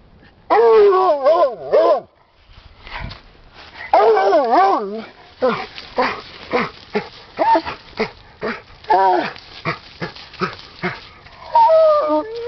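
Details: Rusty, a 10-year-old Redbone Bluetick Hound, trying to reach something down a hole in an underground stream: long wavering, howled bays, then a run of short choppy barks and yelps, ending with another drawn-out bay.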